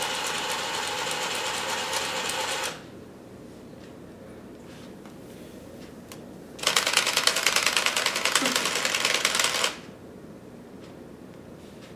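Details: Two bursts of rapid mechanical rattling, like a sewing machine, separated by a quieter stretch with faint taps and room noise; no animal voice.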